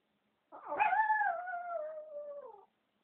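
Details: A single Chihuahua howl lasting about two seconds, a rough start settling into a clear, sustained tone that slowly falls in pitch before cutting off, in an otherwise quiet setting.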